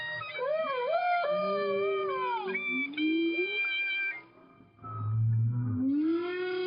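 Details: Underwater hydrophone recording of a whale answering a clarinet played from a boat; sliding, rising whale moans and a held low note mix with bright, sustained clarinet tones and wavering melodic runs.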